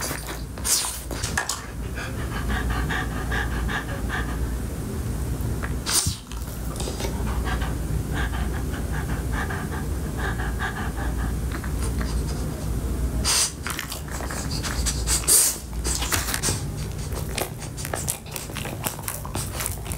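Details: French Bulldog munching Sprinkles pupcakes, a cupcake for dogs, recorded closely for ASMR; sustained fast panting breaths for most of the stretch, punctuated by loud chewing and licking smacks, low hum throughout.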